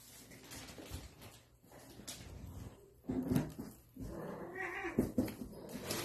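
Russian Blue kittens give short, tonal meows at intervals, with soft indoor background noise.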